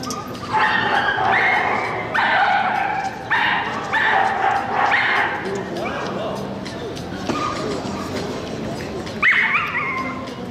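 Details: Whippet at the ACW / UAKC International Dog Show of the Korean Kennel Club, 13 March 2016: a run of sharp, high yelping barks crowds the first five seconds, then a rising whine near the end, over steady indoor chatter and voices.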